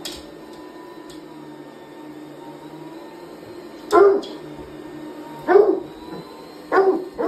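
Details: Indoor hound dog reacting to a vacuum cleaner with three short, bark-like howling bursts spaced a second or more apart. A constant droning hum from the vacuum runs beneath.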